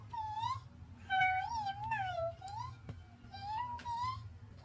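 A Corgi gives drawn-out, wavering whines that rise and fall in pitch like a sing-song moan.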